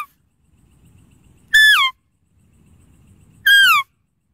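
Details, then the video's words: Deer calling: two loud, clear whistled notes about two seconds apart, each sweeping downward in pitch and lasting under half a second, over a faint low rumble. "Deer Calling Sound"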